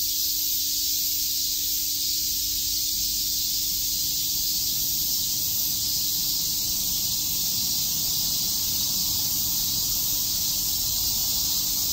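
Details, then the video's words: Long stretch of summer cicada chirping at Shakujii Park, Tokyo, a relentless high-pitched buzzing drone that holds steady throughout. "Cicada chirps"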